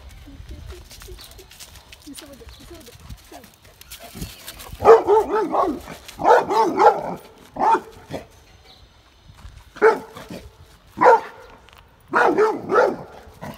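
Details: Labrador Retriever Vinny herding cows and calves in Bangalore, Karnataka, India, recorded on an iPhone: after a quiet start, about six loud, deep barks in clusters from around five seconds, some doubled or tripled, with short gaps between them.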